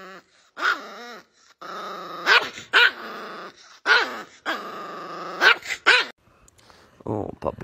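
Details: Sustained rumbling growls from an angry dog, each ending in one or two abrupt barks, repeating roughly every one and a half seconds; human speech also heard.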